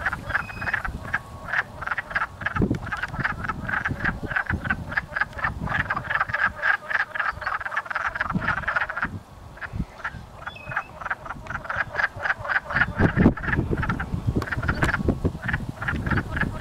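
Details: Chorus of wood frogs mating and chasing each other in a pond near a house in Blackfalds, Alberta: dense, rapid, duck-like clucking croaks overlapping continuously, with a brief lull near the middle.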